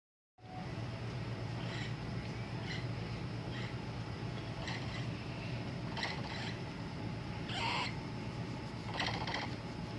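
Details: A capybara gives short, soft clicking bursts every second or so over a steady low hum, sounds the owner says mean he wants to go to sleep now.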